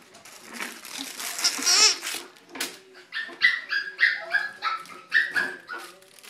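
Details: Ivory, a tiny female Biewer Terrier indoors in a small room, gives a run of short high whining yelps, several falling in pitch, in quick succession after a burst of human speech and rustling at the start.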